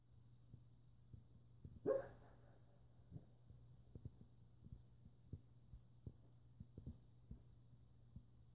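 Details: Shaggy, a pet Siberian Husky, dreaming while asleep, gives one short whimpering yelp near the two-second mark. Soft irregular ticking clicks and a steady low hum run underneath.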